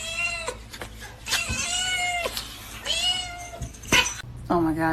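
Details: Domestic cat, female, indoors, giving several drawn-out meows: tonal, harmonic-rich calls that hold steady then drop at the end, repeated about once a second, mixed with excited human speech, exclamations and laughter.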